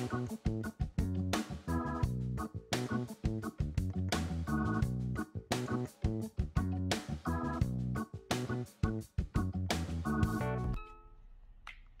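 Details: Upbeat music with plucked guitar, bass and organ plays steadily in a driving rhythm, then drops to a brief quiet tail near the end.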